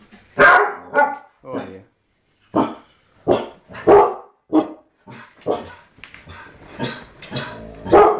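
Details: Indoor Siberian Huskies reacting to a TV shot of Ewan McGregor, giving a run of loud, uneven barks mixed with short, tonal whining yelps, the bursts spaced irregularly with brief silences and a woman's voice now and then.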